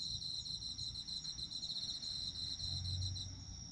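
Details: Autumn insects chirping steadily for sleep, a dense high trill with continuous pulsed bands, one steady and one finely beaded, running through the whole stretch, with a low rumble of background noise underneath.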